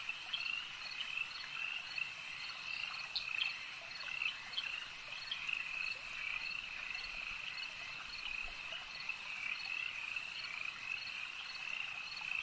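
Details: Frogs at a lake, a dense chorus of high, continuous trilling with small clicking notes scattered through it, steady for the whole stretch, no other clear sounds.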